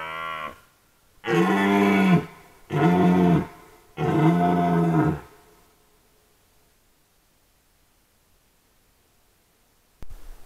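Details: Camera-trap recording from the 2022 red deer rut: a short opening bellow, then three powerful harmonic roars of about a second each, spaced roughly a second apart, followed by near silence and a faint click at the end.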